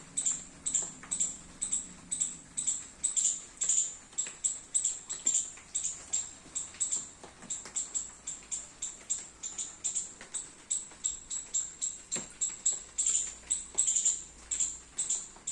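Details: In a rainy garden a squirrel eating baby coconuts chips continuously, high sharp notes repeated roughly twice a second for a long run, with rain patter and occasional clicks.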